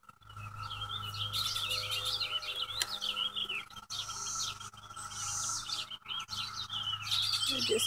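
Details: Cicadas during a May 2016 infestation, recorded from a house porch: a steady, unbroken high droning whine runs throughout, while birds chirp and warble loudly over it with quick varied phrases.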